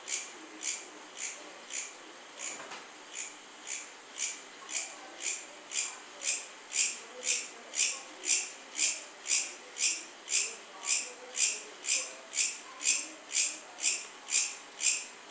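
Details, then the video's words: {'caption': 'Cricket chirping in steady pulses about twice per second, each chirp a bright high buzz, evenly spaced and strengthening slightly over time, with a faint low hiss underneath.'} "Cricket Sound | Cricket Chirping"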